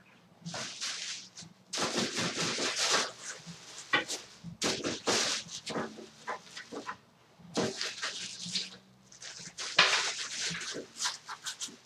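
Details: Pet ferrets at home, Maleika aged three and Zallie aged five; loud, harsh, breathy bursts of rapid chattering noise lasting one to three seconds, separated by short quiet gaps, with scuffling in between.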